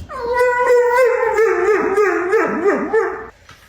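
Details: Dog howling back at its owner, one sustained wavering howl that holds a steady pitch with small rhythmic wobbles for about three seconds, then stops; a person speaks briefly around it.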